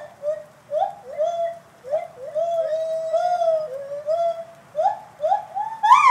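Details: Gibbons at a college zoo in Gainesville, Florida, howl in clear, swooping hoots that rise and fall, building faster and higher toward the end.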